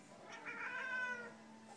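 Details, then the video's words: A talkative female Siamese cat indoors, talking to her owner, utters one brief, wavering, somewhat strained meow, slightly rising then fading, against faint background noise. "Talking Siamese Cat, Говоря сиамская кошка"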